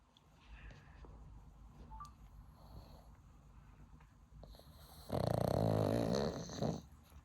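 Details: Pug sleeping deeply in winter, also grinding teeth and twitching; one long loud, rasping snore lasting nearly two seconds, with a trailing snort, after several seconds of quiet indoor background.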